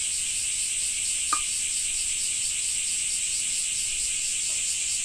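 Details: Cicadas in a Japanese summer, a continuous dense shrill buzz held steady throughout, with a brief click near the middle and no clear rain drops standing out.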